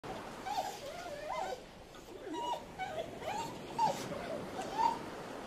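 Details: German Shepherd dog whimpering softly indoors: thin, wavering high whines that rise and dip, repeated about once a second over a low steady hiss.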